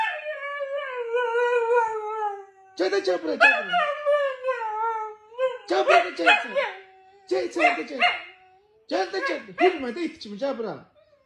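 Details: Husky giving a long, smooth howl that slides gently downward for nearly three seconds, followed by bursts of wavering, yodel-like vocal 'talking' rising and falling in pitch.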